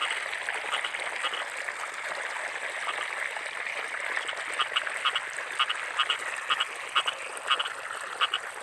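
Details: Rice-field frogs calling in the rainy season, short nasal croaks arriving in pairs about twice a second over a dense, constant background chorus of other frogs.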